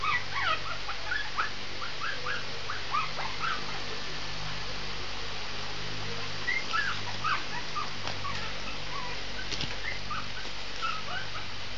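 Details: Shih Tzu puppy giving a steady run of short, high whimpers and yips, squeaky upward notes that come several per second over a constant low background hum.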